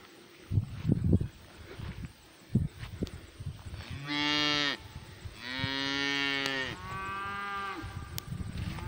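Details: Cows mooing in a pasture, the black cow having come closer to the camera for a sniff; two long harmonic moos around four and six seconds, the second drawn out over a second, with scattered thumps and snuffling before.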